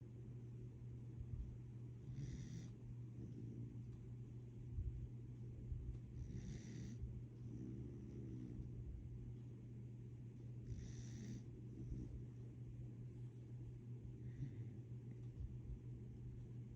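A sleeping corgi snores softly, each low rumbling breath returning about every four seconds over a steady hum.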